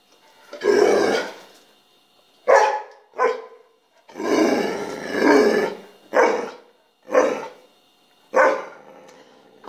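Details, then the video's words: Vocal mixed-breed rescue dog Penny answers back when talked to, producing a run of grumbling growl-barks indoors: long rumbling moans mixed with short sharp bursts, about eight vocal bursts over ten seconds, with a woman's voice between. "Penny Talks..."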